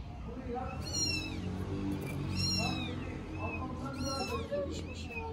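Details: Four-week-old stray kittens in Istanbul calling at once: a few high, arching meows overlapping, fainter and mixed with other calls, while a woman speaks Turkish over a low rumbling background.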